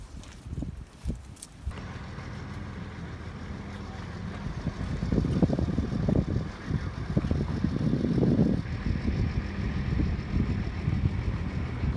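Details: Low engine rumble of a vehicle with wind and brief handling noise; no animal voice is heard.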